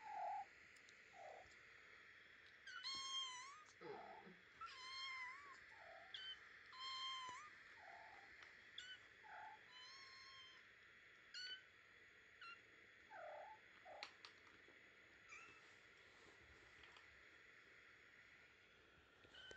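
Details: Two-week-old kittens of the cat Maizey, indoors in a basket, giving thin, high mews in short bursts and scattered squeaks over about twenty seconds against a steady background hum.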